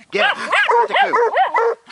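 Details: A Bluetick Coonhound pup barks at a raccoon alongside a Jack Russell. There is a fast run of five or six arched, yelping barks in under two seconds, each rising then falling in pitch.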